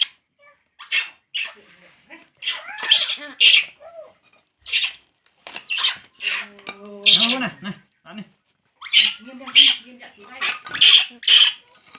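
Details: Baby monkey crying while drinking milk: shrill, piercing squeals in short bursts, some doubled, spread through the recording, with a woman speaking Vietnamese between and over the cries.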